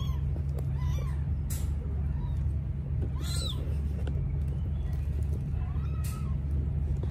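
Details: Thin, high Sphynx cat mews rise and fall a few times over a steady low hum, as a mother Sphynx gives birth to three kittens.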